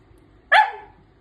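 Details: Dog talking back to its owner: one short, sharp bark-yelp that starts high and slides quickly downward, then quiet background.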